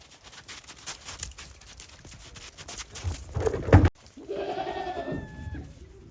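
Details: Goat on a farm after heavy snowfall, walking warily on snow, December 28, 2023. A loud knock and rustle are followed by one wobbling, nasal bleat that falls in pitch over about a second and a half.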